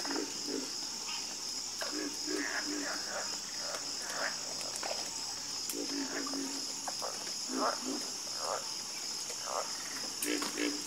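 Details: Frogs croaking in a night chorus, giving scattered short, rasping croaks at irregular intervals beneath a steady, high-pitched insect drone.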